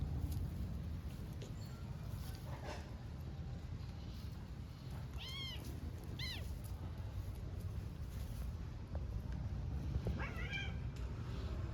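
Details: Tiny kitten and young stray cat in play fight on an Istanbul street: a few brief high meows, two close together mid-clip and another near the end, over constant low background hum.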